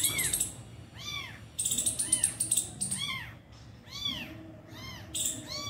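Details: An abandoned kitten and its injured mother cat, reunited at feeding; rapid high arched meows, several per second in places, mixed with scratchy rustling noise and faint voices.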